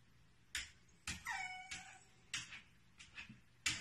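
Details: Female whippet reacting on seeing a puppy indoors: a high, thin, wavering whine lasting under a second, surrounded by sharp tapping clicks and knocks.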